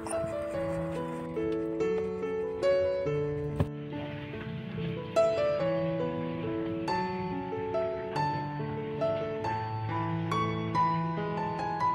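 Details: Plucked harp-like instrumental music plays on, with layered notes and no animal voice rising above it.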